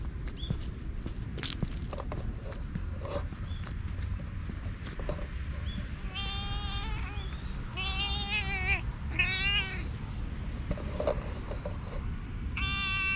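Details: Stray community cat in a park in Japan, filmed on a GoPro, meowing repeatedly: several drawn-out, wavering harmonic meows in a row, some slightly quavering, over steady low rumbling background noise and scattered clicks.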